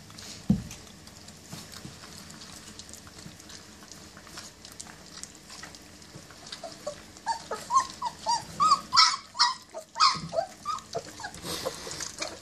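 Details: German Shepherd puppies, 20 days old, indoors at their first meal. Short, high, tonal whimpers come in quick bursts during the second half, over soft lapping and shuffling sounds, with one sharp knock near the start.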